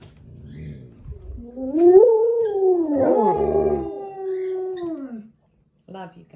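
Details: Alaskan Malamutes howling indoors in spring while watching dog sledding on a screen: a rising, arching howl that swells and falls over about three seconds, overlapping voices, with a woman speaking before and after.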